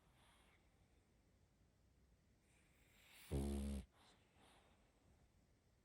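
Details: A young female pug sleeps and lets out a single short, low, gurgling snore midway, with soft breathing and quiet room noise around it.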